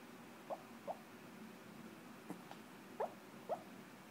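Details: Sleeping Chihuahua named Chiquita, dreaming, gives a quick run of thin, high, upward-sliding squeaks, about five short yelps in four seconds, separated by silence in a quiet indoor room.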